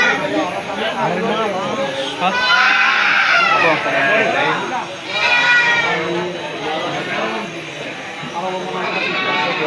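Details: Bleating sheep mixed with market chatter at Pasar Jigjeg, Bumijawa, Tegal, Indonesia, 10 July 2024. Quavering, nasal cries rise and fall irregularly over continuous voices, with one loud cluster early and fainter bleats later.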